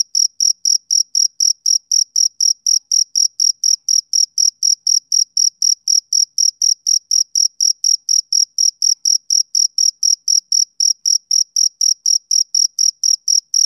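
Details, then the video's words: Male cricket chirping on a summer evening, a shrill high-pitched pulse repeated steadily about four times per second throughout, with no other sounds. "Cricket Chirping Sound Effect"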